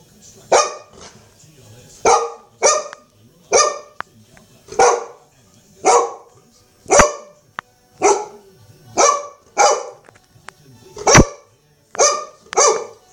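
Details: Two-year-old Golden Retriever indoors late at night, barking while scared by and playing with a wild mouse caught from a trap; loud broad barks, about a dozen spaced roughly one second apart, a few sharp clicks between, quiet room otherwise.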